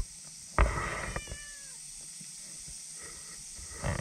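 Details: Community stray cat after a typhoon in Japan, unusually affectionate, gives one drawn-out falling meow after a sharp knock, then faint shorter sounds, over steady hiss and low rumble.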